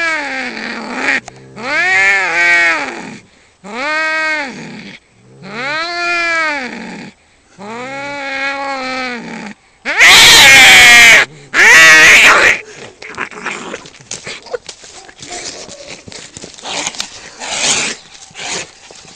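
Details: Cat fight opens with rapid repeated bending yowls, then two overloaded screeching bursts, before trailing into scattered scuffling and clattering noise.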